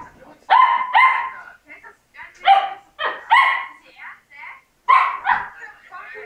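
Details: Labrador Retriever puppies at the moment of parting from their siblings: short harmonic yelping whines in quick pairs, about five bursts over six seconds, with faint human voices between them.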